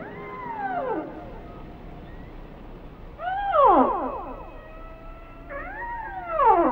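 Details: Singing whale giving three bursts of sliding, harmonic cries. Each starts high and swoops steeply downward over about a second, with a fainter held tone running between them.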